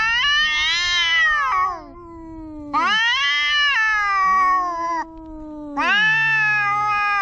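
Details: Young cat giving loud, prolonged meows, three strong wailing calls in seven seconds, each bending downward at the end into a lower moan.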